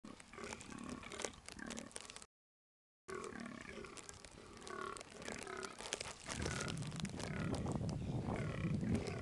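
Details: A fallow deer in Knole Park gives short, harsh barks in quick repeated bursts, with a low rumble of wind behind.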